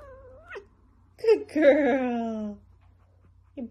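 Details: Pet cat in a funny compilation; a drawn-out meow slides downward in pitch and follows a brief shorter cry, with a person's chatter nearby and quiet room tone.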